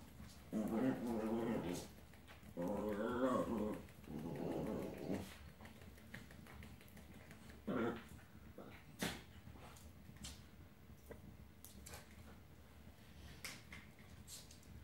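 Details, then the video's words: Old English Sheepdog puppy named Dolly, ten weeks old, growling while playing with Maggie and Skye indoors; three loud rumbling growl bursts in the first five seconds, then a short growl near eight seconds, with scattered clicks and scuffling. "OLD ENGLISH SHEEPDOG"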